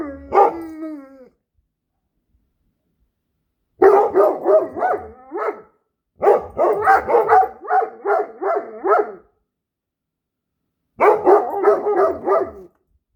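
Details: A Great Dane and a Standard Poodle, domestic dogs, making howling and weird noises: one brief tonal howl opening, then three clusters of rapid, choppy yelping bursts separated by silences of about two seconds.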